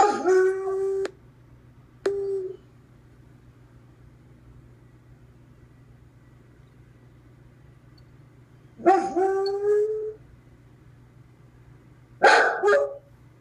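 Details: Clyde, a pet dog that hates being alone, howling a few minutes after his owner left for the post office: four drawn-out harmonic howls, the first and last two long and wavering, separated by quiet pauses over a low steady hum.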